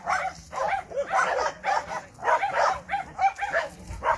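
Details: Dogs Tusko and Rijko meeting again, Rijko unhappy at the reunion; a run of sharp, rapid barks or yips, about one every 0.4 seconds, with a person's coaxing voice between them.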